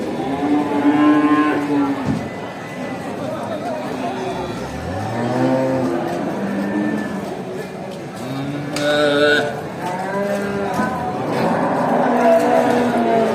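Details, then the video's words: Cattle calling each other as a farmer drives the herd back to the barn; deep and higher moos alternate, some sliding downward, about every second or two, with a brief clatter partway through. "listen to the sound of cows calling each other"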